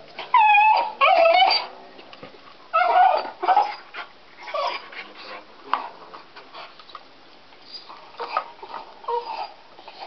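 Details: Deaf house dog gnawing a stick, unable to hear its own voice, letting out loud drawn-out crying whines, wavering and falling in pitch, in clusters of two or three, then softer whimpers and chewing sounds.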